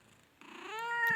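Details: Male cat, nine months old, at a Khulna cat market, produces a single meow that rises in pitch, then holds bright and level before cutting off; quiet room noise precedes it.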